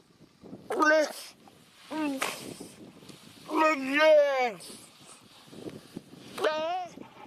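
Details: A seal, possibly an elephant seal, gives a few drawn-out, nasal, voice-like calls that bend downward in pitch. Identified as a seal.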